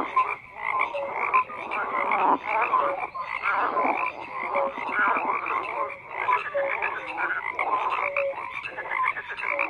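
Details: Continuous frog chorus of rough croaks and scattered brief tonal chirps from numerous callers, dense and unbroken throughout.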